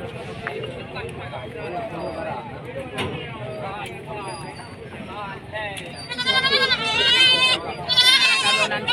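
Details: Goats at the Padang Tiji animal market in Aceh, where young male feeder goats are sold. Talk and crowd murmur run throughout. Loud wavering, quavering bleats then break out in overlapping bursts over the last three seconds.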